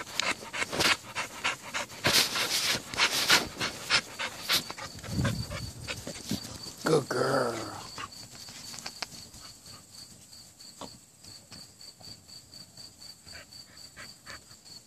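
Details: Nine-month-old American Bully named Minnie, a female, playing with a rope: rough panting bursts and scuffling clicks, then a short voiced growl-like sound around the middle, over a steady chorus of crickets and brief spoken praise.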